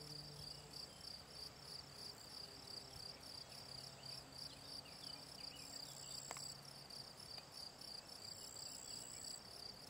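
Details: Field cricket, Gryllus campestris, recorded in June in ponds of the Draga valley, Slovenia; a steady, high, pulsing chirp repeated rapidly throughout, with a faint distant hum underneath.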